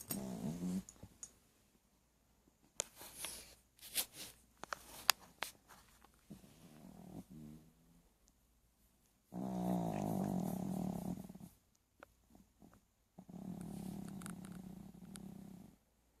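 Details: Sleeping dog snoring indoors, long rasping low breaths of about two seconds each, with stretches of quieter shuffling and clicks between the louder snores.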